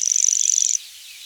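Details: Night grasshopper giving one short, high buzz under a second long, built from rapid even pulses that stop abruptly, leaving a faint insect hum behind.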